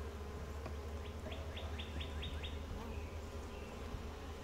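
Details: Calm, gentle honey bee colony hums steadily while its hive is opened for a routine inspection; a short run of seven quick bright bird chirps cuts in near the start, then the low drone continues alone.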